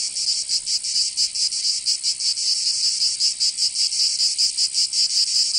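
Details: Summer cicada chorus from Provence in the south of France, a shrill continuous rasp pulsing in slightly uneven beats of roughly two to three per second, nothing else audible.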